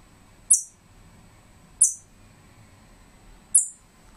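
A squirrel gives three short, very high, bird-like chirps, spaced about one and a half seconds apart, over a faint background hum.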